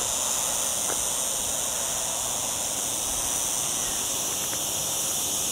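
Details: Cicadas singing among olive trees in the lower area of Sierra Llana near a town, on a cloudy day in a very hot week, recorded on a camera while hiking: a steady, unbroken high-pitched hiss-like drone filling the air.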